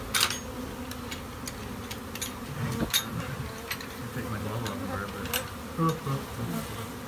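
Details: A shed colony of honey bees hums steadily beneath a string of sharp clicks and knocks, with faint speech in the background.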